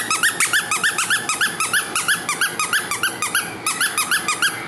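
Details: A small, lively young female Maltese puppy gives rapid, high-pitched squeaky whimpers, about three each second.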